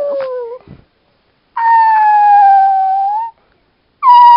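A Chihuahua howls in long, clear, mid-pitched notes that sag slightly and hold steady.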